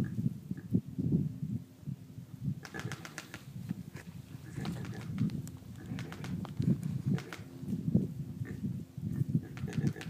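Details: Javelina from a herd in Arizona clicking its teeth to alert the others and scare off an intruder; sharp dry clicks in irregular rapid bursts from under three seconds in, over steady low rumbling throughout.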